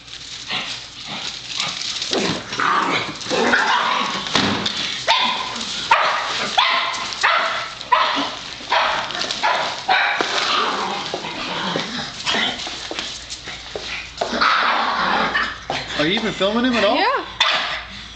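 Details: Excited pet Pug named Oliver barking and yipping indoors as the trash is taken out; irregular sharp barks mixed with whimpers and a rising whine near the end, with people talking and household clatter.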